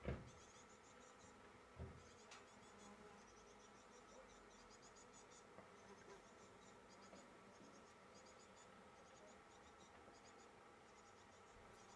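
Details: Honey bees seen close-up collecting nectar from a flower give a low, steady droning hum with layered overtones. Soft thumps come near the start and around two seconds, and faint rapid high chirping pulses run throughout.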